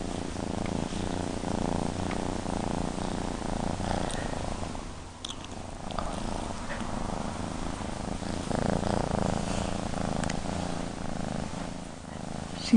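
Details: Appa, a female kitten, purring steadily: a low, continuous rumble with a gently pulsing rhythm that holds throughout, with a brief soft rustle midway.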